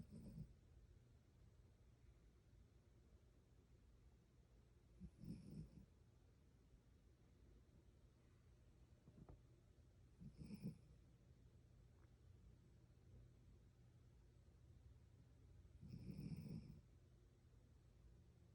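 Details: Two tired pet dogs, Lucy the brown Shih Tzu and Sparkle the black-and-white Australian Shepherd, snore while sleeping; soft, low, breathy snores recur about every five seconds over a steady faint hum.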